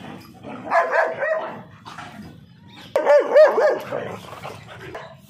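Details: Indian dogs fighting, a mother teaching her puppy to fight: harsh, snarling barks come in two loud clusters, one near the start and a sharper, stronger burst midway, with quieter growling in between.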